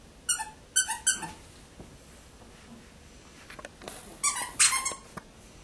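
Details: Indoors with Bella, the chihuahuas Cheri and Rima give three quick, high, ringing squeaks in a row, then soft rustling, then a second tight cluster of shrill squeaks about four seconds later.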